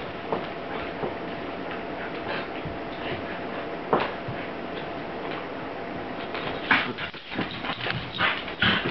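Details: Two Pembroke Welsh Corgis playing, a smaller female picking on a male, give short yips and whimpering barks over a steady background hiss.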